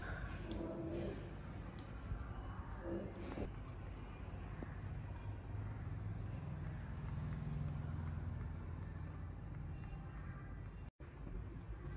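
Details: Steady outdoor vehicle rumble dominates, with brief snatches of people talking and a low engine drone, and no animal voice anywhere.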